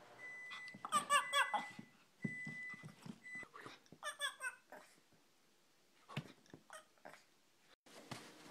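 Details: A female Shih Tzu barking and being sassy, a string of sharp, high yappy barks in short bursts with pauses between.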